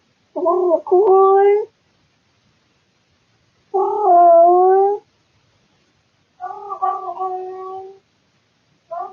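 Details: Bored male cat making weird, loud sounds indoors at night, recorded by a surveillance camera. Three moaning yowls: the first breaks midway, the second is long and full, and the third is fainter and wavering. Quiet pauses separate them.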